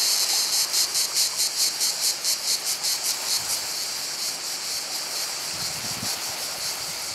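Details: Cicadas singing beside the sea at Portonovo: a dense, high buzzing chorus pulsing in rapid regular beats, about two or three per second, fading slightly toward the end, with faint low rumble beneath.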